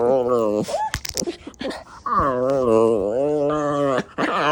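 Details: An Alaskan Klee Kai, feisty as the sun goes down in the evening, gives long, wavering, husky-style talking howls that rise and fall in pitch.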